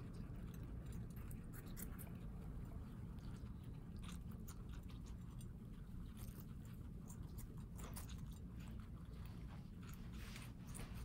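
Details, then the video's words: Guinea pigs kept as house pets in New York City eating watermelon; quick, dry crunching clicks come in loose bursts over a steady low indoor hum for the whole stretch. "Guinea Pigs Eating Watermelon ASMR crunch"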